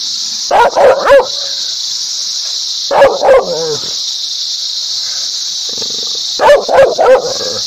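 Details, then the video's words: Loud dog barks, labelled happy, aggressive and angry, come in three quick triplets, with a short whining note after the second, all over a continuous high hiss. "Dog barking happy ,agrassive, loudly,angry"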